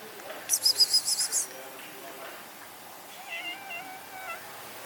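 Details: Rescued stray kitten, found after two days abandoned in -11°C snow: a burst of very high, squeaky pulsed cries, then a longer wavering meow with a slight rise and fall over steady background hiss.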